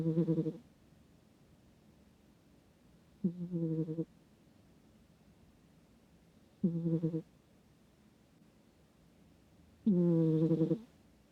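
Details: Sleeping cat snoring, recorded up close with a microphone: four low, buzzy, harmonic snores of under a second each, coming about every three seconds, with quiet pauses between.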